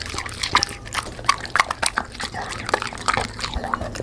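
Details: Black Labrador eating fried dough with sponge cake and vegetables, with irregular crunchy chewing clicks and smacking bites throughout.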